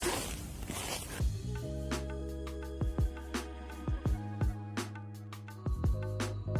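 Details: Music with plucked, bouncy notes and sharp percussive hits, no animal sound heard.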